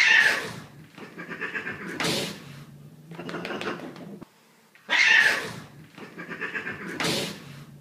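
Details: Cats upset after being scared by another pet and fighting back indoors: harsh, broad hissing bursts near the start, at two seconds, five and seven seconds, with lower growly sounds between and a brief silence before four-and-a-half seconds.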